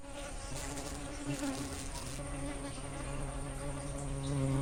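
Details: Swarm of wild giant honey bees in rainy season, drinking sugar syrup set out for other bees: dense continuous droning hum with steady low harmonic bands, many wings overlapping, growing slightly louder toward the end.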